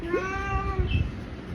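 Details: Batul Babu, a ginger house cat and the family's big boy, gives a single drawn-out meow with a short upward start, then a steady tone that fades after under a second; low rumbling handling noise and nearby talk follow.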